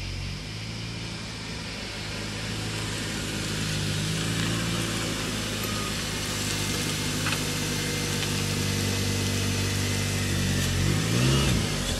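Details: A vehicle engine idles steadily, its low drone carrying through a wash of broadband outdoor noise. No distinct animal calls stand out.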